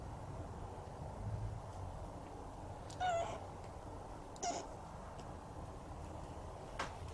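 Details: Siamese cat Shamue, a rescued pet, in footage mainly from 2017: two brief meows about one and a half seconds apart, the first slightly longer, over a steady low rumbling background with a faint click near the end.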